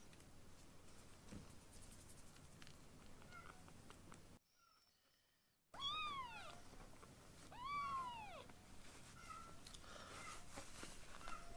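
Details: Rescued foster kittens being weaned, indoors with a man nearby; after a quiet stretch, two clear rising-then-falling meows sound in quick succession, then a softer faint cry, over low household hum.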